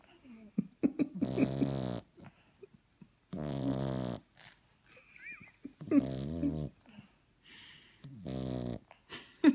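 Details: French bulldog puppy snoring indoors in a small room: harmonic, wheezy snore bursts of about one second, four main breaths with short gaps, plus faint snorts and clicks between them.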